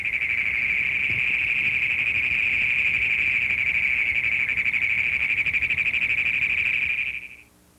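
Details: A Great Plains toad, a Missouri prairie species breeding in flooded fields and ponds along rivers, gives a long, loud, high trill of rapid chugging pulses that runs unbroken for seconds.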